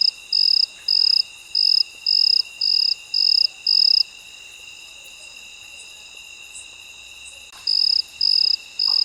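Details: Cricket at midnight giving a regular run of seven shrill, buzzy chirps about two per second, then falling silent for over three seconds before resuming, with a faint steady insect hum beneath.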